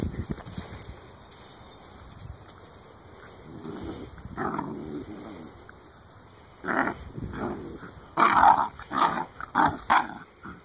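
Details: Great Dane puppies, eight weeks old, trade bursts of growling and squealing yelps that grow louder and more frequent toward the end, several overlapping in quick succession over a quiet room background.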